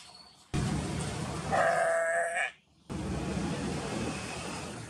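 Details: Jacob sheep, a four-horned breed, recorded in Pakistan at a zoo, park or forest area; a single wavering, nasal bleat of about one second over steady broadband background noise, with a brief silence near the end.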